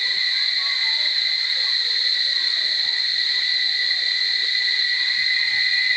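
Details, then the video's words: Cicadas at Barichara in a dense chorus: a continuous, steady, shrill drone with two even high tones that holds without a break, no other clear sounds. "Chicharras en Extasis a Punto de Estallar en Flor... Barichara"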